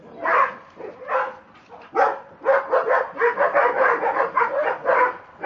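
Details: Two Dobermanns, Rocco and Bridget, acting crazy: a rapid, irregular run of short, sharp barks and yips, bursting in quick succession with brief pauses, dense and overlapping toward the end.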